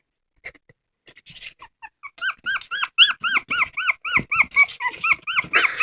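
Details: Dog crying indoors, starting with soft scattered squeaks, then building into a quick series of loud, high, arched whimpers, repeated several times a second and growing stronger toward the end.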